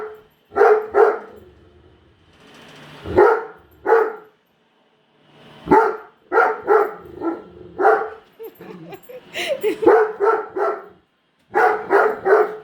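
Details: Indoors, a female Great Dane keeps barking at a new Roomba vacuum; strong rough barks arrive singly and in rapid bursts with brief gaps, a faint whining hum from the vacuum underneath.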